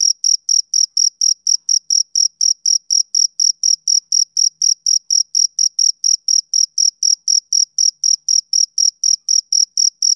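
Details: Steady chirping of a male cricket, a summer-evening sound: bright, high-pitched pulses about four per second, evenly spaced and uniform in loudness, with nothing else audible.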